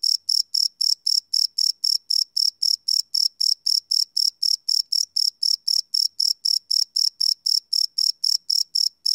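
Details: Crickets chirping and cricking at night, recorded live without loops: a bright, piercing chirp pulses on and on at an even pace of nearly four per second, some thirty-five beats, nothing else audible.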